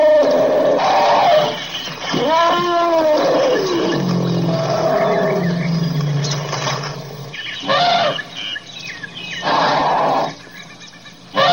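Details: Elephant calls in a varied sequence: wavering harmonic squeals arching up and down, a low droning rumble midway, then several loud, harsh, broadband trumpet bursts separated by short gaps.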